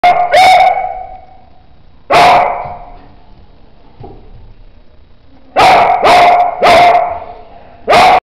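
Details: A female Basset Hound barks while being very playful. Loud, ringing barks come as a double bark at the start, one at two seconds, a quick run of four near the end, and a final one, with short echoing tails and quiet gaps between.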